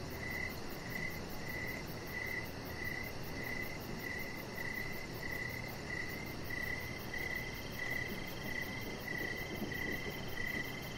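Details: Crickets chirping outdoors in the evening beside a deck where a chihuahua puppy named Rocket lies under decoration lights; steady, evenly spaced high chirps repeat about twice per second over a constant low rumbling background hiss.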